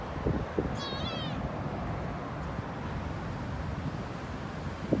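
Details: Street cats, a kitten and her mother, with one brief, high, wavering meow with stacked overtones near the start. A steady low rumble runs underneath, and a few soft taps are heard.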